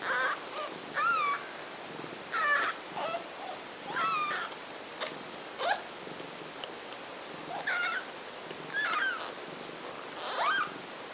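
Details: Mother cat with nursing kittens indoors; a run of about nine short, thin mewing calls, each rising then dipping, repeated roughly every second against quiet room hiss.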